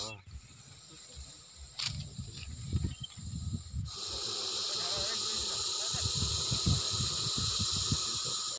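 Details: Russell's viper in a village: people talk over faint background noise at first, then a strong, sustained breathy hiss starts suddenly and continues to the end under ongoing voices.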